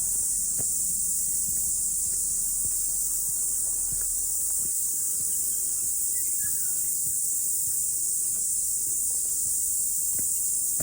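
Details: After rain on a morning mountain hike, a cicada chorus makes an unbroken, high, hissing drone throughout, with occasional faint low thuds and a brief soft chirp underneath.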